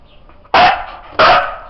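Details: Siberian Husky Sizara answering a counting command with two sharp, forceful barks separated by a pause of over half a second, preceded by faint background murmur.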